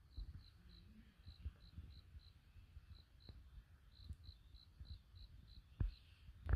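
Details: Cricket song at a campsite at night near a wood fire: clear, high, short chirps repeated about one and a half times per second, with low rumble and a few crackles of burning logs.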